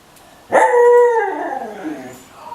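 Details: A female husky dog asks her owner for food. A sudden, loud, howling note starts abruptly, holds level and clear for about half a second, then droops downward and tapers off, with a brief quiet rise at the end.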